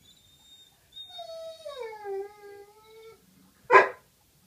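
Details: Coyote howling on April 25, 2015: a clear, rich-toned howl that starts higher, slides down and wavers, holds steady for about two seconds, then one sharp harsh bark follows after a brief pause; quiet background.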